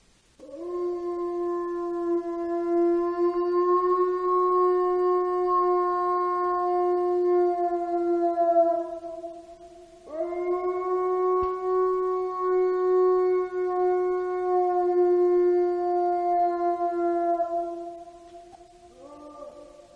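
A wolf gives two long, steady howls, each holding a low mournful pitch for several seconds.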